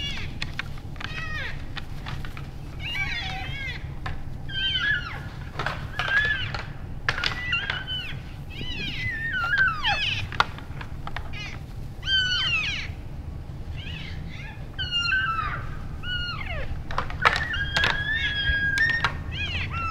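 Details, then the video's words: Bull elk, many together in winter, practising sparring after the rutting season; dense high chirps and squeals with frequent sharp clacks throughout, steady low rumble underneath. "Vocal Elk Bulls Sparring After the Rut"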